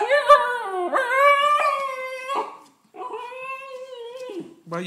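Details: Female Siberian Husky pup crying outside the house, kept out because she is dirty from rolling in mud; long harmonic wailing whines, rising then level, in two drawn-out bursts separated by a short gap.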